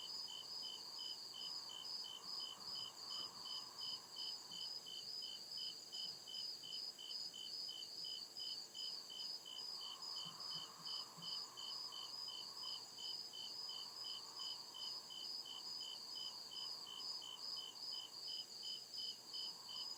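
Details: Night chorus of crickets in a deep forest, their shrill pulsed chirps repeating rapidly and steadily in two high bands, backed by a constant high buzzing layer and a faint swelling lower hum.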